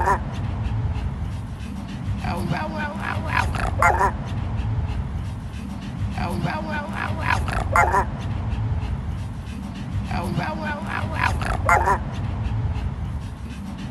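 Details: Hoarse, gentle-voiced barking from a black-furred male chihuahua with a grey face: short clusters of raspy, wavering bark-howls repeated about every four seconds against constant low background rumble.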